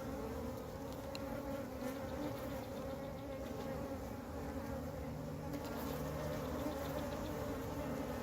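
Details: Western honey bee (Apis mellifera): a dense, steady hum of many bees droning from a large, calm swarm gathered on the ground, where the queen apparently could not fly and the bees joined her.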